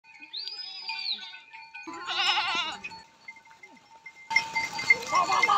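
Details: A herd of goats returning home across sandy desert dunes. One wavering, quavering bleat rises midway, set against a steady background tone, earlier whistled arching notes, and a harsh burst of noise at the end.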